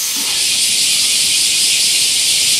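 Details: Loud summer chorus of bear cicadas at Daitokuji Park, Nagasaki, Japan, by a giant camphor tree; continuous shrill hiss filling the upper range, a short low voice sound near the start.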